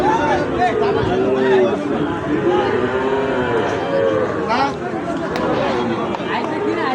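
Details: At the Ambari haat cattle market, Sahiwal bull calves low repeatedly with wavering, arched moos while men talk close by and the market crowd murmurs in the background.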